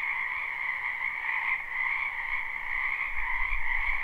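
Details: Many frogs croaking together in a spring wetland, a steady trilled chorus of overlapping callers, with a faint low rumble rising near the end.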